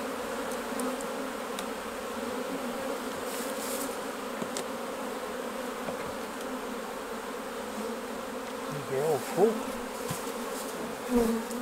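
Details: Honey bees at their hives during a honey harvest, as the honey is taken off for jarring; a steady, low droning hum with a brief rising whine near the end.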